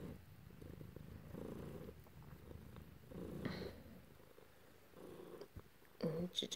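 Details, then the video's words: Domestic cat being petted by its owner indoors, one of two cats present. Low, rumbling purr in breath-paced bursts, partly covered by rustling, with a brief human voice near the end. "Just some kitty loving & purring"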